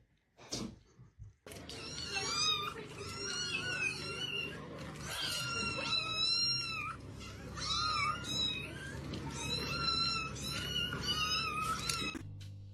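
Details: Domestic cat from a funny-cats compilation, giving a long run of high, strained, wavering meows in overlapping bursts with bright harmonics, nearly continuous for about ten seconds over a low indoor hum, with laughter right after.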